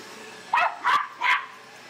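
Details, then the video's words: Bear, a pet Australian silky terrier, barks wildly at a household vacuum: three short, high yappy barks spaced roughly a third of a second apart over a low background hum. "Silky Terrier barks at Vacuum"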